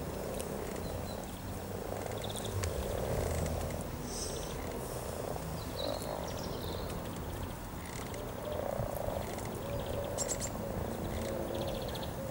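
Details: Frogs gathered in their hundreds to mate beside the river near Cow Tower, Norwich, on a spring day, 7 April 2013: overlapping rolling purrs and croaks rise in louder swells, with scattered bird chirps above.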